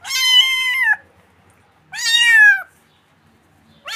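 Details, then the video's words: A kitten meows in long, plaintive cries that rise slightly and then fall away. There are two full meows about two seconds apart, and a third begins at the very end. The background is otherwise silent. "Yavru Kedi Sesi"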